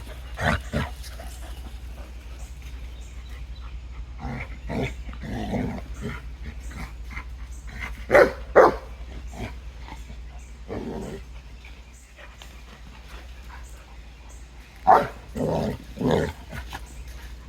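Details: Two dogs, Clyde the Boerboel mastiff puppy and Lucy the Boxer, playing and running in a creek; short gruff barks come in scattered bursts, loudest around eight and fifteen seconds, with a low steady hum underneath.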